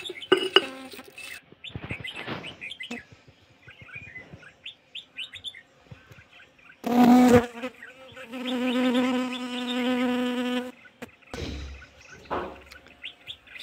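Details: Asian honey bees, Kashmiri bees, being fed in winter: a steady droning hum for about three seconds, preceded by a short loud buzz burst and scattered bird chirps, clicks and handling noises.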